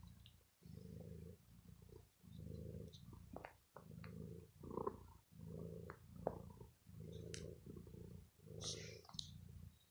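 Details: Ill pet cat purring contentedly while chewing on a sweater after being pampered indoors: low rhythmic purr rising and falling with each breath, roughly every second and a half, with scattered faint clicks and rustles.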